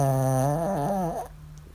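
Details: Zoey, a female Maltese x Shih Tzu, in deep sleep after a long walk and run in the park; one loud, tonal snore with a wavering pitch breaks off sharply after about a second.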